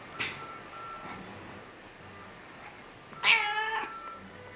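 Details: Annie, a cat lying in bed in Lanzarote in October 2018, gives a short high chirp early on, then a clear, loud meow with rich harmonics about three seconds in; a faint steady tone sits in the background.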